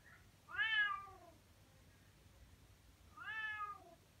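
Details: Sunny, a Bengal cat, meows loudly with two drawn-out meows, each rising then sliding down in pitch, wanting attention, usually its way of asking for food.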